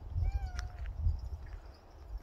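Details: A dog-like house cat lets out one clear meow, a smooth tonal call that holds steady and then slides gently downward over roughly half a second. Soft knocks and handling noise follow in a quiet indoor room.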